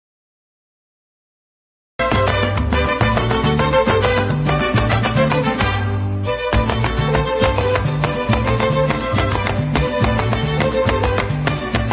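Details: After two seconds of silence, lively Latin dance music with a steady, driving beat and bright instruments fills the rest. No animal voices can be picked out.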